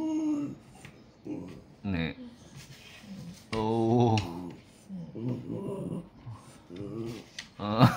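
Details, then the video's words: Complaining French Bulldog at home in Japan at the new year, approaching while talking back; bursts of moaning, growl-like grumbles of varying pitch, some long and wavering, with a person speaking softly between them. "年始から文句を言うフレンチブルドッグ(French bulldog talking well)"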